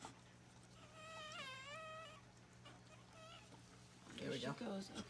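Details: Newborn puppy, just delivered during a whelping, gives a wavering high whine that rises and falls for about a second, followed by a fainter squeak, then human voices and handling noises close by.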